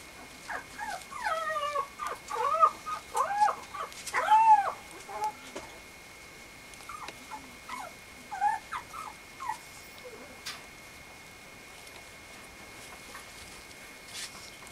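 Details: Female Mame Shiba puppy at a breeder's kennel, dated 10.17, gives a run of high, arching whines and whimpers, rising then falling, bunched in the first six seconds, then a few softer yelps before quiet; a steady faint tone hums throughout.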